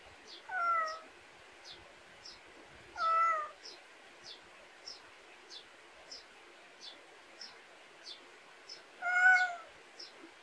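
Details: A pet cat born and raised in rural Korea calls in the backyard: three loud, harmonic meows spaced several seconds apart, with rhythmic thin high chirps continuing between them.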